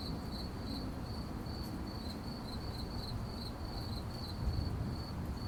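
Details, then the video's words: Crickets at night: a steady high-pitched chirping made of short pulses, about three to four a second, continuing without a break over a constant low rumble of background noise. "Crickets at night Sound Effect"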